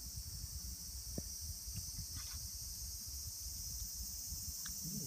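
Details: Lots of cicadas active among trees bearing their empty shed husks form a continuous shrill, even buzz that never pauses, with low background rumble beneath.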